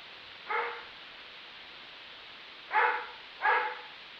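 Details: Neighbor's dog barking, said to bark 63 times in a minute: three short, mid-pitched barks, one alone then a pair about a second apart, over a steady hiss.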